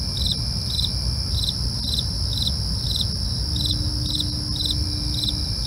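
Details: Crickets heard at night, their short bright chirps repeating about twice a second against a sustained high-pitched insect whine, with deep low-frequency rumble throughout.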